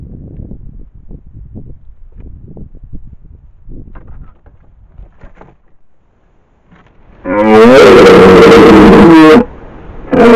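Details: Red deer stag (cervo) roaring at close range beside a trail camera in the Modena Apennines near Fiumalbo, brushing against the camera. Soft rustling and footsteps first, then a loud, harsh, strained roar of about two seconds, with another starting at the end.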